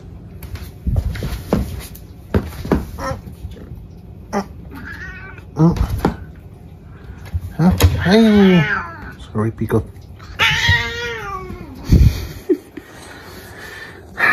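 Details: Indoor cat giving several loud, drawn-out wavering meows mixed with clicks, knocks and handling noises in a small room, with low background hum.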